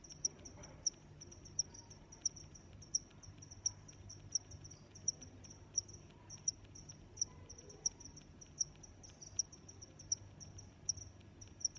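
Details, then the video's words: Insect chorus led by a cricket's regular high-pitched chirps, evenly repeated under a second apart for the whole stretch, over a soft, constant low background noise. "Sounds of Crickets"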